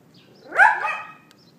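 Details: A neighbour's dog yapping, recorded by iPhone 4S at 11:31 AM on April 18, 2012: one sharp, high bark that rises and falls quickly, with a short ringing tail in quiet surroundings.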